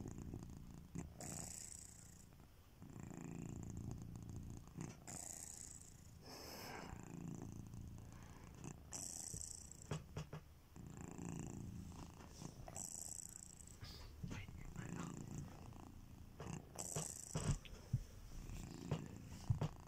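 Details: Sleeping pet cat Kitiboy snores with deep, low rumbling breaths rising and falling in a steady rhythm roughly every two and a half seconds, with faint breathy hissing above and a few small clicks near the end.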